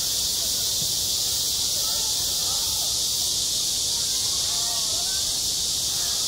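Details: Cicadas singing in the heat of summer at a school yard: a constant sizzling, high buzz holds level from start to end, with a few faint low warbles in the background.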